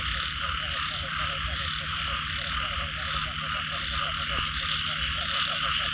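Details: After rain, frogs give rapid, short, pulsed notes, about three a second in a dense overlapping chorus, with a steady high hiss above and low rumbling noise beneath.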